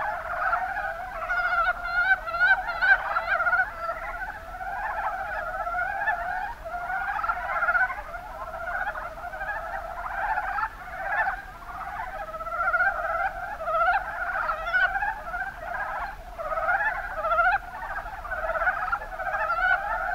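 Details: Mountain brown frogs calling in Japan's Kuma Basin, Kumamoto: short throaty croaks repeated in quick bursts, many frogs overlapping in a continuous pulsing chorus that swells and fades.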